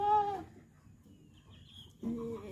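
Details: Goat bleating while giving birth on a farm: two loud harmonic bleats, one at the start and another after a quiet gap of about a second and a half, with faint background noise between them.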